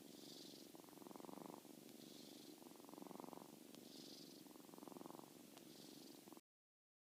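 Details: Seven-week-old kitten snoring while sound asleep: soft rhythmic breaths, each about a second long, alternating a buzzy inhale with a hissy exhale, repeating steadily roughly every two seconds in a quiet room.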